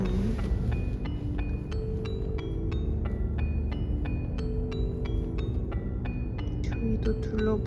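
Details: Light mallet-percussion music with bright plinking notes plays over soft talking, without any animal sounds.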